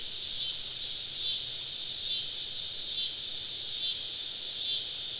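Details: Cicadas in the woods on a summer evening, a continuous high hissing drone with faint irregular swells and a soft low hum underneath.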